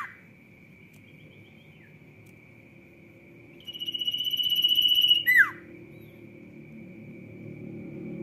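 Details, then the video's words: Sirtu singing briskly: after quiet with a steady faint high tone and low rumble, a high pulsing trill builds for about one and a half seconds, then breaks into a sharp falling squeak. "SIRTU GACOR ROCK N ROLL"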